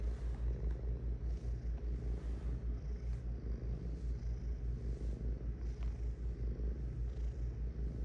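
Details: Cat purring as a dense, low, rattling drone of fast regular pulses, gently rising and falling with each breath.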